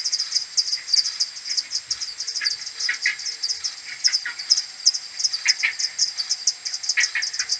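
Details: Maternity colony of common pipistrelles heading back to the roost at dawn, 21 May, played ten times slower, AudioMoth: continuous stream of clipped high pulses from many bats, punctuated by lower, louder chirping calls every second or so.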